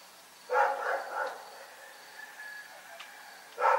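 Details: Night barking from Rex the dog in Pyrga: a rapid cluster of three rough barks, a pause of over two seconds with low hum, then one more loud bark at the end.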